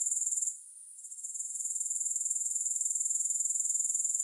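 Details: Short stretch of grasshopper stridulation, a shrill rhythmic buzz pulsing about four times per second, fading briefly at half a second and then climbing back to a steady beat.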